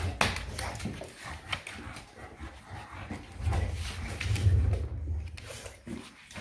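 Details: Eva, a Shar Pei dog, playing wild indoors: a low rumbling growl swells around the middle of the clip amid scuffling, thumping and clattering play noises in a small room.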